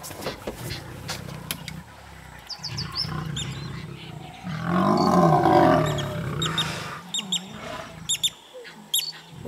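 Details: Lions, a pride trapping a rival lioness on a fallen tree: deep rumbling growls run steadily throughout, rising to a louder, harsher snarling burst midway, with scattered sharp clicks and knocks.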